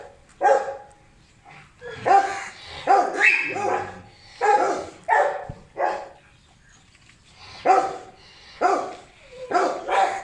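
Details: Pet Beagle called Leo barking while playing: a run of loud, abrupt barks, some doubled, coming every second or so, with pauses between groups and faint human voice in the background.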